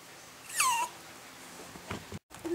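A Toy Poodle gives a brief, high whine that slides quickly downward, then falls quiet indoors.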